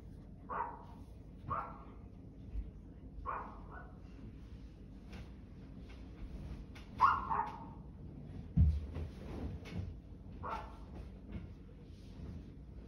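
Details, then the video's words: Barking dog giving single short barks spread irregularly, about every one to two seconds, some louder than others, with faint clicks and knocks and a low rumble behind. "barking dog"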